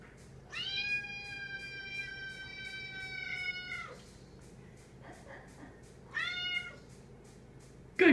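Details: Female pet cat meowing while demanding company as she eats; two long, drawn-out, harmonic meows, the first lasting over three seconds, with an owner's voice briefly at the end.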